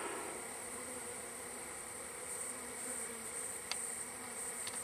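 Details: Colony of wild bees in a hive being gathered, both ends closed with wood plates; an unbroken swarm hum lasts nearly five seconds, a sustained high whine above it, with two short sharp clicks late on.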